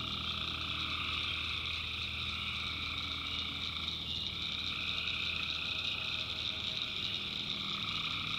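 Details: Night chorus of tree frogs in a North Carolina backwoods swamp, a constant shimmering wall of high trills; around the middle, the lower voices briefly waver and drop before returning.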